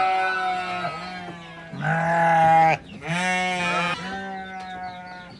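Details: Goat family of kid, nanny and billy at a farm, bleating in overlapping, drawn-out wavering cries that run almost continuously, with a steady low-pitched drone beneath.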